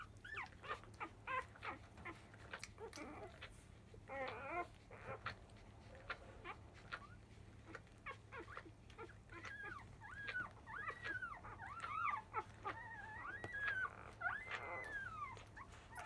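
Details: Newborn Labrador Retriever puppies, five days old, from a field-type litter, clamouring at the start of a feeding just after 1 pm; many overlapping squeals and wavering whines from several pups, with shuffling and nuzzling noises under a low background hum.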